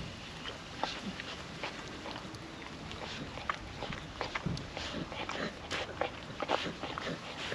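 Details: Female puppy eating wet food from a food trapper mat on a windy day, no talking: a steady run of wet, sharp licking and chewing clicks, irregular and close, over a constant airy background hiss.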